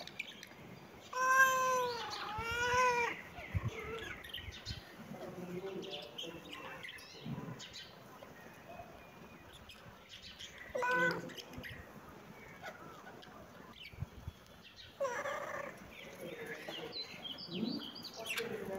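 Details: Domestic cat meowing: two loud, drawn-out meows with a rising-then-falling arch around the first three seconds, followed by softer, shorter mews scattered later, with quieter household noise and brief rustling between calls.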